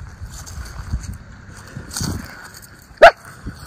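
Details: Single sharp bark from one of two Miniature Schnauzer brothers playing in their leaf-strewn yard in Aroostook County, Maine, on an October 13, 2024 autumn outing; a lone loud bark near the end follows soft rustling and footsteps.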